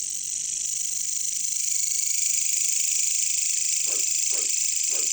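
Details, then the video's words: Katydids (caricangkas, bush crickets) in a jungle, a steady high-pitched shimmering buzz running unbroken through the whole stretch, with three short low croaks near the end from another caller. "bunyi caricangkas katydids bush crickets"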